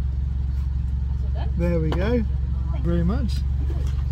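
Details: Siberian Husky howling from a vehicle at a drive-thru as if ordering, two drawn-out wavering howls that rise and bend, over steady engine rumble.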